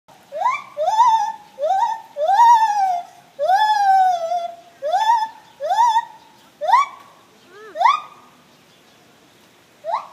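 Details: Morning song of gibbons: a series of loud rising whoops, each sweeping upward then leveling, repeated about every second and growing longer mid-phrase before ending in sharper short upslurred notes.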